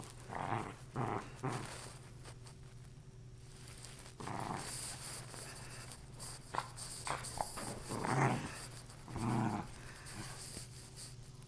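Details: Indoor play session of a female Lakeland Terrier with a worn-out stuffed toy; scattered short, low growls and huffs separated by pauses, with panting and rustling of the toy between them.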